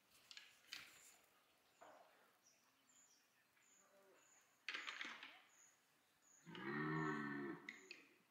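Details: Red deer at Parc Sainte-Croix wildlife park in autumn rut, stags chasing, mating and fighting; after scattered rustles and clicks, one loud, deep, harmonic roar swells for about a second near the end, with faint high bird chirps throughout.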